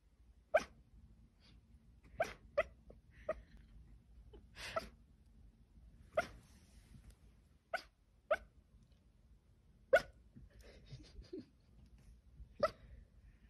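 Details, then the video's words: Sleeping dog barking while dreaming, giving about ten soft, muffled woofs in short separate bursts at irregular intervals, some doubled, with quiet breathing and faint whimpering between them. "Dog dreaming and barking"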